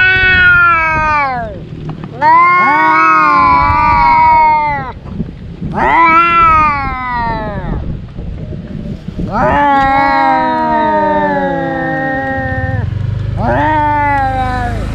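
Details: Two domestic cat brothers fighting, as they do daily: a series of five drawn-out, harmonic yowls, each one to three seconds long, rising then sagging, with overlapping cries and a low rumbling background between them.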